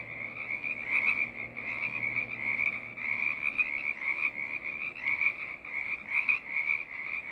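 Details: Many frogs in a choir keep up a constant high-pitched trilling chorus, overlapping calls blurring into one shrill band with brief louder pulses roughly every second; a faint low hum sits beneath during the first three seconds.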